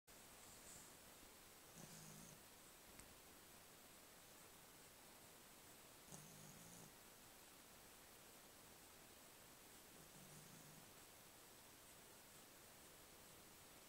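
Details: A pet dog snoring, with soft low rasping breaths about every four seconds, near 2, 6 and 10 seconds, under steady hiss and a faint high whine.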